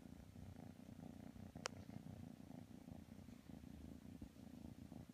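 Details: Kitten purring while it tries to snuggle with a pit bull dog: a soft, continuous low rumble with a fast, even pulse lasting throughout, plus one brief sharp click midway.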